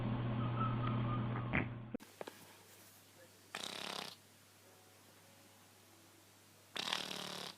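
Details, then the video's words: A sleeping cat snores softly, with two breathy, rasping snore bursts about three seconds apart after a brief noisy opening, in a quiet indoor setting. "50 shades of snoring Cats"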